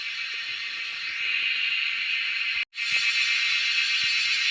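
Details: Wild cicadas being hunted, calling as a loud, steady, high-pitched shrill buzz that fills the air; the droning cuts out for a split second midway, then resumes at full strength.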